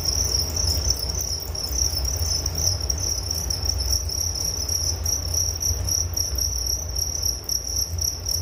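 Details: Several crickets keep up a steady piercing trill on one pitch, faintly beating and pulsed, with a fainter upper tone and a continuous deep rumble in the background.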